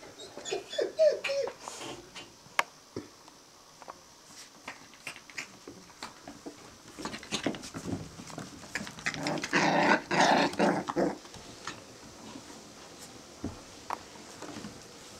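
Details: Five-week-old Australian terrier puppies; soft whimpers early, then a burst of rough playful growling around the middle, with scattered clicks and rustling in a small room.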